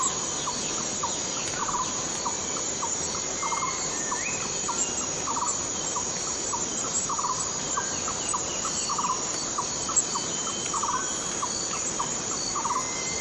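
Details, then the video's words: Borneo rainforest cicada droning in an unbroken shrill hiss, while a lower pulsed note repeats roughly twice a second throughout, with occasional faint rising whistles behind. "Borneo Rain Forest Cicada - Cicada sound - cicada noise"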